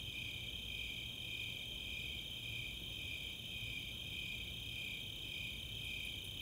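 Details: Nighttime summer chorus from the open space of Chautauqua in Boulder, Colorado: Snowy Tree Crickets pulse rhythmically beneath a steady Four-spotted Tree Cricket trill, and a few high katydid ticks enter at the end.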